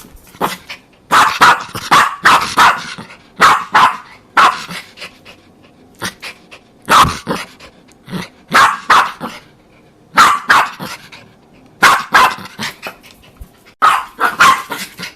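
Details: Jack Russell Terrier. A Jack Russell Terrier gives sharp, high barks in rapid clusters of two to four yaps. The bursts come again every second or two, with brief quiet gaps between them.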